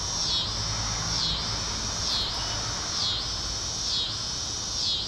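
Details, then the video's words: Tibicen pruinosus cicada singing in a backyard on the evening of May 28, 2012, early in the season; a loud continuous buzzing drone that swells and dips in regular pulses about once per second. "sound of early Tibicen pruinosus cicada"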